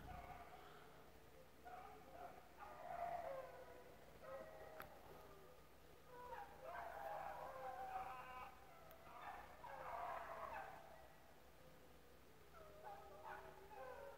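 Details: Rabbit-hunting dogs, a pack with several pups mixed in, running rabbits at Relay Hunt club; overlapping drawn-out harmonic bays and yelps come in bursts from several dogs, some faint and distant, with a human voice briefly heard.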